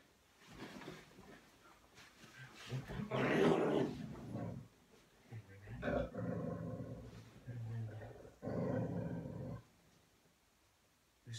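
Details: Pet dog growling angrily while playing indoors: rough, low growls in several bursts over about ten seconds, interleaved with a person talking to it.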